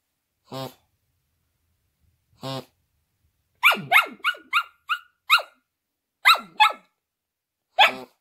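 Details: Female Shetland Sheepdog trying to sing along to music, loud and off key: two lone musical tones, then a run of about eight short, yodelling barks that swoop up and down in quick succession.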